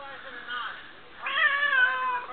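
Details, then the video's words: Female cat Smokie lets out a long, loud, wavering meow after a softer murmur, as if telling her owner what is on her mind, with talking heard nearby. "talking to my cat smokie"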